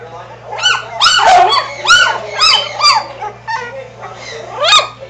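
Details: Three-and-a-half-week-old Schnoodle pups wrestling, growling and barking; a rapid run of about eight high, sharp yips and squeaky barks, some doubled, over a constant low hum and faint background voices.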